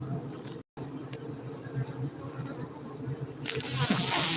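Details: Honey bees at a beekeeping site in Bener Meriah, Gayo, Aceh, Indonesia: a steady, low droning hum with layered tones, broken by a brief dropout early on; a hissy rustle rises toward the end.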